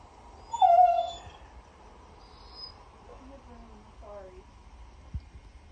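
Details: Weimaraner whining: one loud, high, wavering whine near the start, followed by a few softer, falling whimpers over a quiet background.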